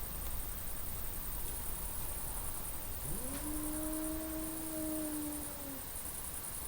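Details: A black cat, arched on a garage roof at night at a lakeside dacha in Carinthia, gives a long, low yowl swooping upward then holding, in a territorial standoff with a Maine Coon tomcat that silently watches.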